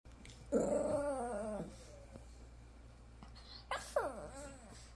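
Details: Shih Tzu dog 'talking' indoors: a long, wavering, nasal whine that rises and falls in pitch, then a pause, then a second shorter whine that sweeps down, with a low steady hum behind.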